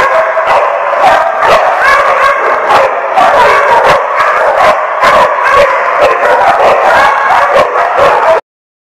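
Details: Loud, packed chorus of numerous dogs, dated 20 March 2015, barking and yipping over one another without pause, with rapid sharp barks standing out, until the sound cuts off abruptly near the end.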